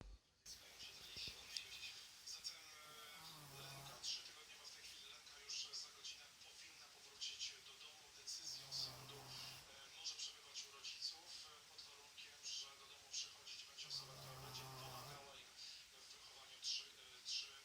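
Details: A sleeping Shih Tzu snores softly, with low rasping breaths returning about every five to six seconds.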